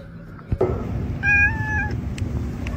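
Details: Domestic cat giving a short clear meow lasting under a second, fairly level in pitch, after a sharp knock, amid household noise and people talking nearby.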